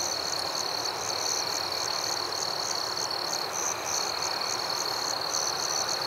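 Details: Forest at night filled with cricket sound: one thin, constant high trill and a brighter pulsing chirp repeating steadily, a few pulses per second, with a faint background hiss.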